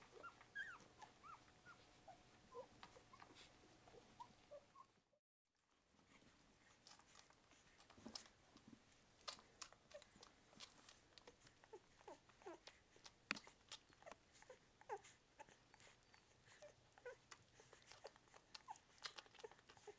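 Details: A litter of eight English Springer Spaniel puppies, one to two weeks old, squeaks and whimpers in short, overlapping piping cries in quick, uneven bursts, with soft grunts, rustling and a brief silent break.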